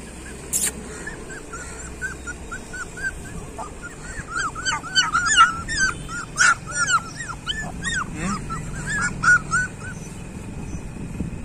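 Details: Several street dog puppies whimpering: after a quiet start, a dense run of high, arched, rising-then-falling squeals follows in quick succession, overlapping one another, with a low background rumble.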